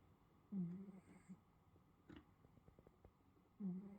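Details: A pet Russian Blue cat in South Korea snores while sleeping peacefully, each breath a low, throaty rasp about three seconds apart, with faint room noise and small clicks between them.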